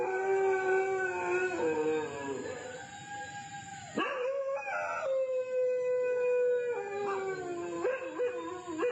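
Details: Overlapping night howls from dogs on the Cambodian side of the border, howling all night: wavering, drawn-out wails slide down, then a sharp rise leads into a long, level tone broken by short jumps in pitch.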